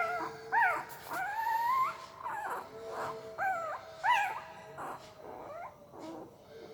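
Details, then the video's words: Sleeping puppy giving soft, breathy whimpers and brief nasal whines, some rising and some hooking downward, in irregular bursts with a faint steady hum underneath. "Puppy Sound while Sleeping II Puppy Making Weird Noise with Mouth"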